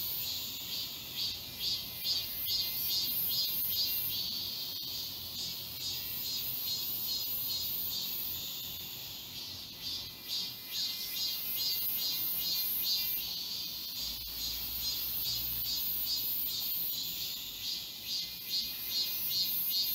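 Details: Midsummer cicada chorus among the trees of Galsan Park in Seoul, South Korea: continuous shrill buzzing with regular rhythmic pulses, rising and falling gently, several cicadas layered together, faint footsteps beneath.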